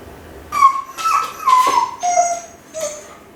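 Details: Kai Ken named Ichi left home alone for around fifty minutes, crying the whole time; high, thin whining notes in short drawn-out phrases, each dropping slightly in pitch, separated by brief pauses indoors.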